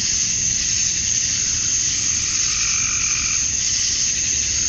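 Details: A summer-night cicada chorus at dusk in Georgia, USA, the male chirping meant to attract females: an even, piercing buzz that never pauses, with a faint wavering tone surfacing in the second half.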